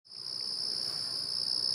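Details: A ground cricket (nemobiine, tiny adult, not a young cricket) sings a steady, high, silvery trill, unbroken and even, in autumn when its singing peaks.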